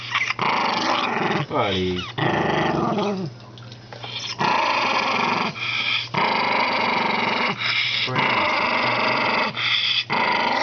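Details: An old, senile Toy Poodle growling in long rough bursts of several seconds with short breaks, a squeaky whine near the start, indoors.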